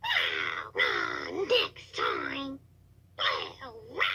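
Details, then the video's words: On 2/10/2022 a toad screams in drawn-out, wavering wails lasting about half a second to a second, with warbling pitch bends, then a pause of nearly a second before more cries; low background hum. "Toad Screaming"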